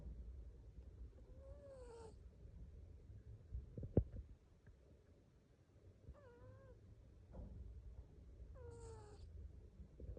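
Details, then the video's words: Cat asleep and snoring: a low rumbling breath bed with squeaky, descending whistled tones with a hissy edge, about every two to three seconds, and a brief click midway. "Hilarious cat sleeps and snores."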